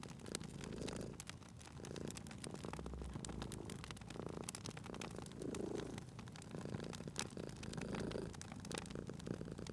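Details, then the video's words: Sleeping cat by a fireplace gives a soft, low purr rising and fading in several breathing cycles across the stretch, partly buried under steady crackling and frequent sharp snaps from the fire. "Cute Purring Cat at a Crackling Fireplace"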